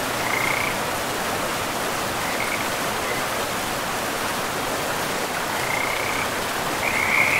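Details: Frogs by a river in a pristine, moss-covered forest: short bursts of high, buzzy trilling come and go over several seconds, the loudest near the end, above a steady rush of flowing water.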